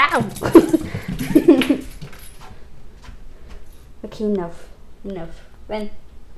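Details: Small puppy play fighting indoors, giving a few short whining yelps with stacked harmonics after a burst of a woman's talk, spaced roughly a second apart.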